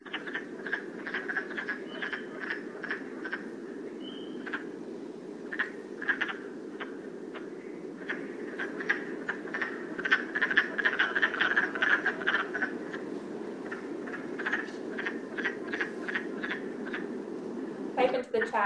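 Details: A chorus of wood frogs, Rhode Island amphibians, gives a stream of short, hoarse clucks likened to quacking ducks or a laughing crow.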